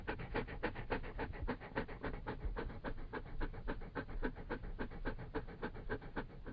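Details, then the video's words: Close-up breathing of a Labrador Retriever: quick, regular panting huffs, about three or four per second, sustained without pause. "Sonido de un Labrador Retriever"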